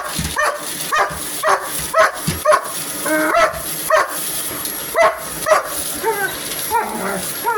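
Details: Dog named Hogan attacking a vacuum cleaner, repeated short barks at roughly half-second to one-second spacing, a few yelping, over a steady high-pitched hum and faint voice.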